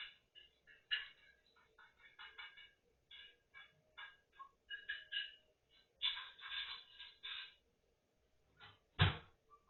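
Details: A hedgehog eating chicken makes quick, clicky chirps and smacks in uneven bursts of one to five, with a dull thump near the end.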